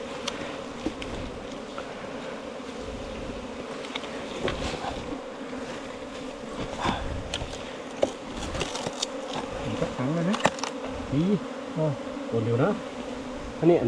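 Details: Honey bees nesting inside a 4-metre-long bamboo stem give a steady, droning hum with a higher overtone throughout, while scattered clicks and taps sound and a man talks briefly near the end.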